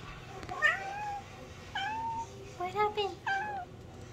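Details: A talkative female house cat meowing as she gets off a couch indoors: four drawn-out, tonal meows over about four seconds, each bending downward at the end. A steady low hum runs underneath.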